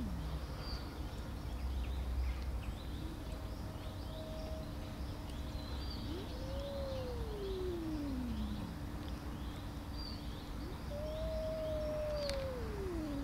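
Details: Tortoiseshell cat, angry, feared by the other cats she hits and keeps from their food, utters two long drawn-out meows that slide steadily downward, each lasting about two seconds, against low background rumble and faint distant bird chirps.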